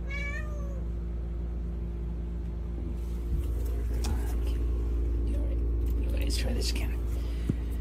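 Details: Pet cat from a compilation of cats playing fetch, giving one short harmonic meow that slides down in pitch, heard over a steady low rumbling hum, with light clicks and a human voice afterwards.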